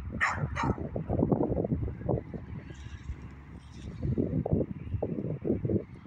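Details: Evening barking from a beagle: two quick barks open, then a busy low rumble with softer muffled sounds throughout.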